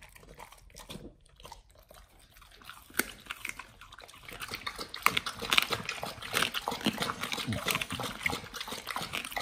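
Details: Raw-fed Pit Bulls chew beef chunks, quail eggs and duck wings; quiet at first, then dense crunching and wet biting build up, with sharp cracks roughly twice a second and fast smacking.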